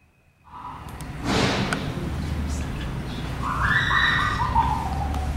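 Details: Young gorilla Kintaro at Kyoto Zoo, Japan, on 16 January 2022, squealing loudly in fury at his mother Genki; a broad noisy burst, then a sustained tonal squeal wavering and falling in pitch, over steady low background rumble.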